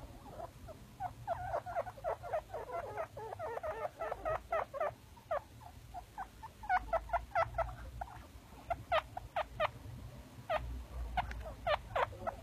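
Baby chinchilla giving rapid, squeaky chirps in quick irregular bursts.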